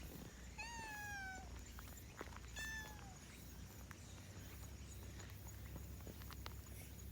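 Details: A black-and-white domestic cat lets out a voice while yawning: two drawn-out, slightly falling, harmonic mews, each about a second long and two seconds apart, over a low steady background hum.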